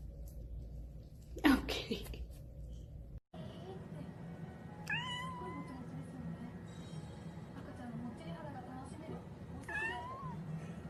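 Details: Cat meowing indoors: two soft, rising-then-falling mews about five seconds apart, with steady background hum and a brief loud knock near the start.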